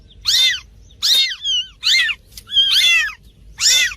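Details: Cat sounds for attracting cats: high, strained kitten-like mews in quick succession, a few thin descending squeaks slipped between the louder cries.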